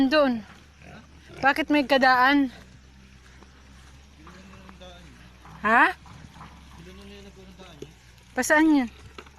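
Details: Native pig on a farm in the Philippines, giving loud, harmonic squeals in bursts: a cluster around one to two seconds, then single squeals near six and eight and a half seconds, with quieter grunting between.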